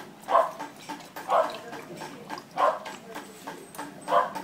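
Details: Purebred blue merle Border Collie at a breeding kennel gives four short, sharp barks spaced about a second apart, each punchy and mid-pitched, over a low, steady background hiss.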